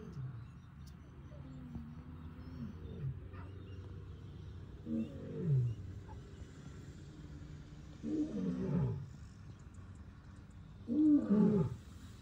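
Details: Male lion in Tanzania's Serengeti communicating with his pride: three deep, coarse grunting roars roughly three seconds apart, the last loudest, over a low steady rumble of background noise.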